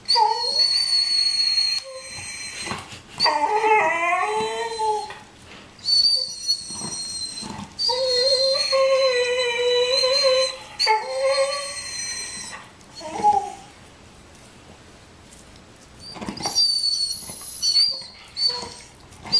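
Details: Jealous over Bandit's bone, the dog Nico whimpers and whines continuously. Piercing high squeals mix with lower, wobbling moans that rise and fall. The sound turns sparser and quieter in the final seconds.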